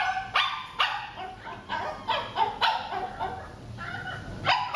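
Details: Eye contact training session with J, a Shih Tzu, giving a rapid run of shrill, slightly whining barks, roughly two or three per second, in a quiet room.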